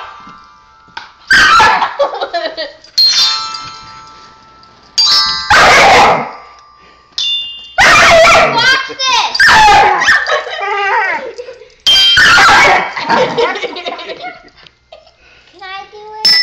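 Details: A dog called Kitty protesting a child's bells: harsh barks and wavering, yodel-like whines come roughly every four seconds between bursts of bright, doorbell-like chimes. Human speech is also audible.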